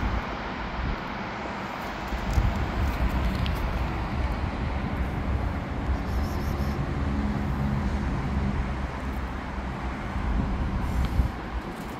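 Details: Steady low rumble of passing vehicles and road traffic outdoors in an urban setting, with faint distant voices and no clear animal calls.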